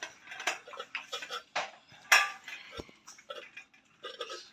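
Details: Irregular clicks, taps and clatters, like food and dishes, with no animal voice.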